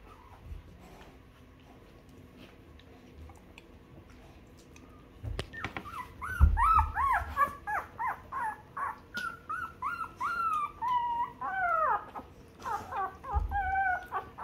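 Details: Two-week-old newborn puppies nursing on their mother's milk and being cleaned by her. A quiet opening gives way to a rapid run of high, wavering whimpers and squeals that rise and fall, mixed with soft low thumps of movement.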